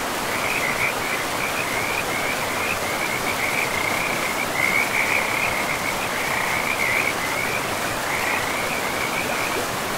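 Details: Frogs calling by a river in a pristine forest, a steady run of high rattling, trilled pulses at one even pitch, repeated nearly without pause over a constant rushing wash of flowing water.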